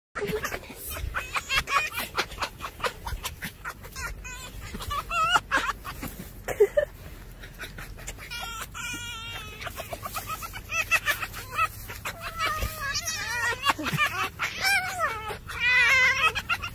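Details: Foxes asking to be petted give rapid, breathy cackles in bursts, a chattering sound likened to laughter.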